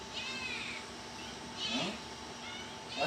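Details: Domestic cat meowing several times, drawn-out harmonic meows with rising and falling pitch, each lasting under a second, while a person talks softly to it in a quiet indoor room.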